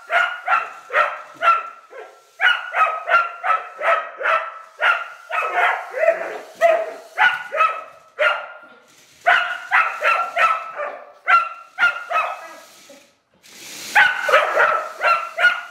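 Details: Rough collie Jessie, a female, reacting to a radio-controlled kid's car as an enemy, barks in long rapid volleys of sharp yelping barks, with one brief pause and a burst of louder rustling noise near the end.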